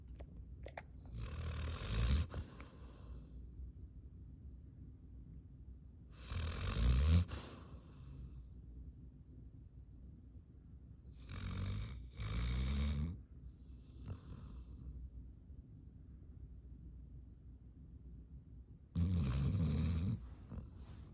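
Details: Sleeping yellow Labrador Retriever snoring loudly in deep sleep, tongue hanging out; four bursts of rough, low, rattling snores roughly every five seconds, with quiet breathing between them.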